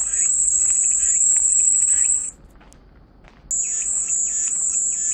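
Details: Cicada buzzing as soothing white noise: a high, hissing drone for about two seconds, a clear silent gap of roughly a second, then the drone starts again with faint chirps below.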